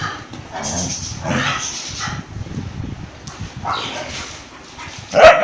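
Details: Fight between an Indian breed dog and a German Shepherd: brief harsh snarling bursts and gruff vocal noises in quick succession, ending in a sudden sharp yelp.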